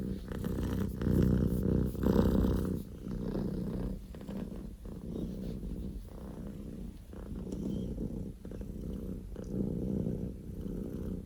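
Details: Loud purring from Poko J, a male Scottish Fold kitten born 15 October 2019, like a running engine; deep continuous rumble rising and falling with each breath, strongest in the first three seconds.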